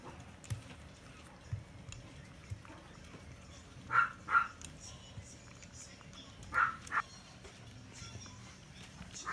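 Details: Long-coated female Chihuahua puppy, born 19 July 2018, eating dry food indoors; two quick pairs of short, sharp, high-pitched yaps, a few seconds apart, over a quiet background with faint soft rustling.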